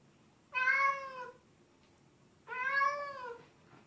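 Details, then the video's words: Pet cat giving two long, loud meows about two seconds apart, each rich in harmonics and gently falling at the end, with a quiet room hum between them. "Latest Top 10 Funny Sounds Cats Make!!"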